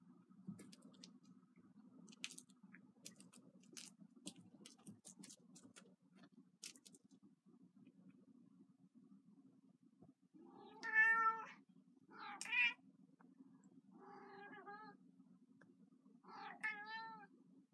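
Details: Kitten, a 15-year-old female cat who loves her toy mouse, indoors; after several seconds of light clicks and patter from play, she gives four clear, rich meows, each rising then falling, spaced about two seconds apart.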